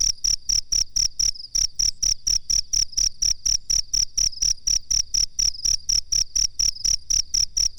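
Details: Cricket recorded as a master track for teaching birds: high, clear chirps in a rapid regular pulse, about thirty pulses with one short break early on, and a faint low background hum.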